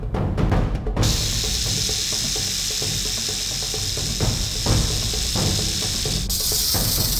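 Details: A captive albino rattlesnake of the largest species gives a steady, dry, hissing buzz from its tail rattle as a warning sound, heard up close, over soft background music.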